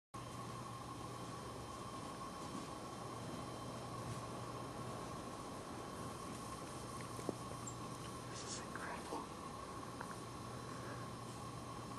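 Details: Steady hiss and electrical hum run throughout, with faint whispering and a couple of brief knocks, and no animal sounds.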